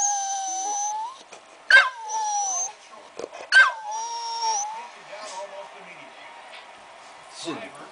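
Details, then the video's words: American bulldog vocalizing in response to Christmas music: a few short high whines and moaning notes over a steady background of musical tones, with quieter gaps between calls. "American bulldog vocals"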